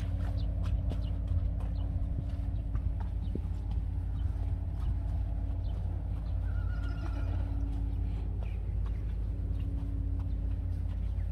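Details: Friesian horse, the mare Uniek, after a party; a short, thin whinny rises midway over a steady low rumble, with scattered hoof clops before and after.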